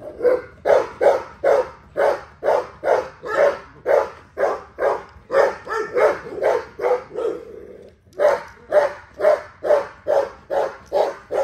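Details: Rapid, nearly steady barking from an XL American Bully being exercised: more than twenty-five sharp barks at about two per second, a brief break near the two-thirds mark, then the rhythmic barking resumes.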